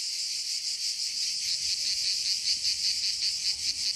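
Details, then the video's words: Cicadas singing in a forest, a dense continuous buzzing chorus with a fast pulsing shimmer, steady throughout with slight swells in loudness. "Le chant des CIGALES"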